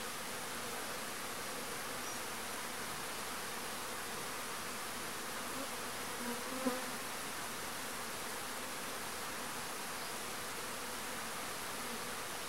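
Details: Marimbondo-carniceiro (Agelaia pallipes) wasps releasing new swarms: a continuous, even buzzing drone holds throughout, broken only by a brief soft knock midway.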